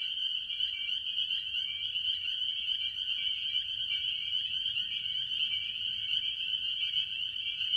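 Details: Tree frogs, largely spring peepers, chorusing at a farm pond in early spring. Steady shrill peeping from many frogs fuses into one high tone, with lower pulsing notes woven through and a faint rumble below.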